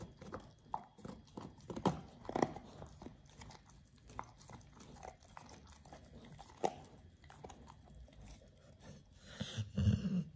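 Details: Raw ostrich paw crunched by Oliang the Pit Bull, tried for the first time as a teeth-polishing, jaw-exercise snack: steady grinding and crackling bites, a few loud cracks, then a burst of heavier rustling at the end.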